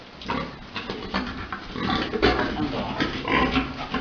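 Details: Big boar mating a sow during farm breeding: rough, noisy grunts and snorts in uneven bursts, roughly one a second, with shuffling farm noise underneath.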